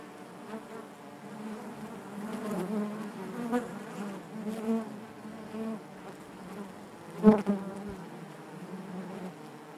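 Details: Honey bees humming within the hive, a soft, even droning buzz with small swells and one sharp louder tap toward the end.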